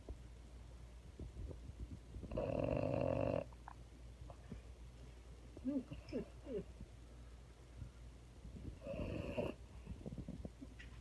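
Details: Female French Bulldog snoring while someone holds her indoors: a loud rattling snore, soft sniffs and murmurs, then a second shorter, weaker snore about six seconds later.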